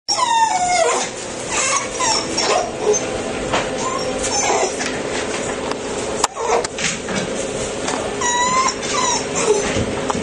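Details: . Black male Labrador Retriever puppy, 7 weeks 3 days old, with a white patch on the chest, from a litter of ten; thin, whiny whimpers with short rising and falling tones, repeated through the clip over steady indoor background noise.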